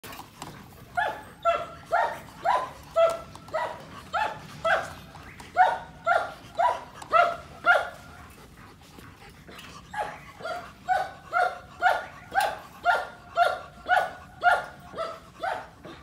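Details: Very large female German Shepherd barking in steady, rapid bursts of about two barks per second, with a short pause near the middle before the sharp, ringing barks resume and continue to the end.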